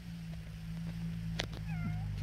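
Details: A male house cat meows indoors while its owner talks to it, asking for conversation. A single drawn-out, slightly falling tonal meow comes near the end, with a sharp click before it and a steady low electrical hum throughout.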